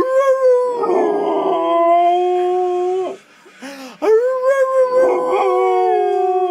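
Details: Sustained, even-pitched howling from an American Staffordshire Terrier, held for about three seconds, broken by a brief yip, then resuming with a wavering, slightly rising tone.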